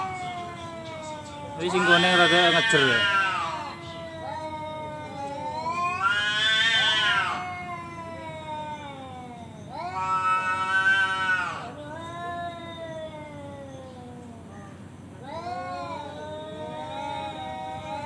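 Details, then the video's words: Tomcat challenging a rival, loud screeching yowls in four bursts roughly every four seconds, each rising to a harsh scream and trailing into a low moaning growl, the last softer and shorter. "suara kucing ngajak berantem//kucing jantan"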